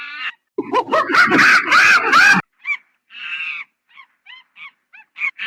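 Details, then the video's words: Monkey calling: a loud, harsh pulsed burst of rapid barking calls rising in intensity, then a string of short squeaky chirps, a brief buzzy squeal and a closing screech. "Monkey Funny Sound"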